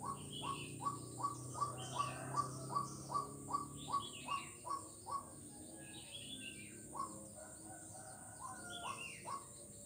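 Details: Frog recorded on 4 November 2021 along Jalan Kolonel Sugiono in Kuala Kapuas, Central Kalimantan, giving a steady run of brief upslurred notes about three per second for five seconds, then scattered calls, with birds chirping above and constant hum.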